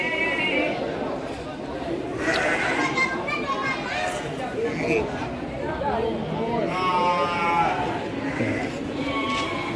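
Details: Young Garut meat-type sheep, around six months old, at Andir livestock market in Bayongbong, Garut, Indonesia; several short quavering bleats from multiple animals mixed with loud human speech and market crowd noise.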